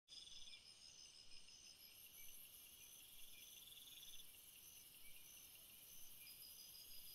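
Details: Crickets calling at night: a dense, continuous high-pitched trilling chorus in several layered bands, one shrill upper layer swelling in after about two seconds, steady throughout with no other sounds.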